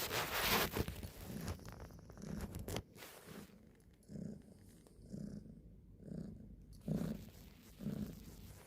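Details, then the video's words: Domestic cat purring in a soft low rumble that swells and fades in steady cycles roughly once a second, with some rustling and handling noise at the start. "Kucing Mendengkur artinya apa?"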